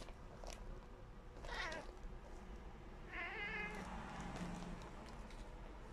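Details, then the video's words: Tommy, a tabby cat, makes short, cute meows while trying to catch a small fly: a brief harmonic call near 1.5 seconds, then a wavering, rippling meow around 3 seconds, with a low murmur and room noise beneath. "Tabby Cat Tommy Makes Cute Noise | Cute Meow"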